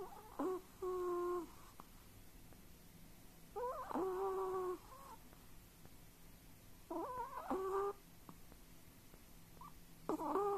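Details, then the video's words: Dreaming while asleep, a Chihuahua-pug mix produces bouts of nasal, whistling whimpers about every three seconds. Each burst has a short rising yelp and then a held, wavering tone, with quiet pauses between bouts indoors. "Snuffling, Snoring And Whistling During The Dream"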